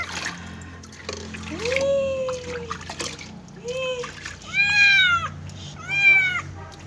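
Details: Cat protesting during its first bath: a string of long, bending meows, the first lower and sliding, the later ones higher and more strained, over running, splashing water.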